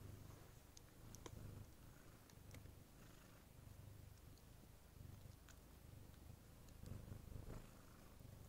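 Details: Somali kitten born 14 November 2019, living indoors with its breeders, purring softly: a quiet, continuous low rumble pulsing steadily throughout, with occasional faint clicks and rustles above.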